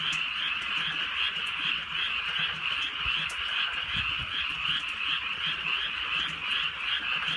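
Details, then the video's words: Frogs croaking on a drizzly countryside night: a dense, steady chorus of rapid, pulsing trills that blend into one continuous rasping band, with soft rain ticks scattered through it. "개구리 소리"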